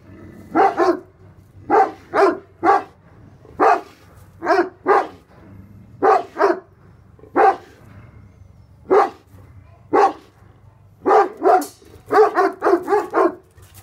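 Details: Tornjak livestock guardian dogs Hattori Hanzo and Leksi, Bosnian-Croatian sheep dogs, bark at an intruder in loud paired and single deep barks, spaced irregularly, quickening into a dense burst near the end.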